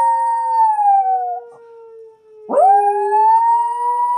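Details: Watson, a pet puppy, howling along to the monthly siren test: a long drawn-out howl sliding gently downward, a brief pause, then a second howl breaking in and rising, all over a steady wailing siren.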